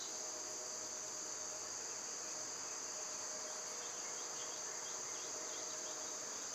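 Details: Cicadas singing in summer: a flat, piercing, high buzz that holds unchanged from start to end, with only very faint chirps mixed in toward the close.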